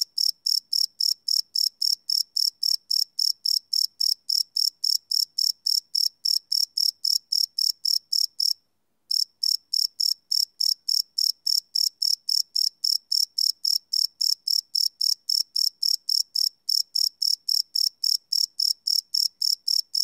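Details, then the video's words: Crickets chirping at night, recorded live without loops on a Sony PCM D100 field recorder: high, rapid pulsed chirps repeated about four times a second, steady and even, with one brief pause partway through. "Cricket Chirp Sound - Cricket Sounds at Night"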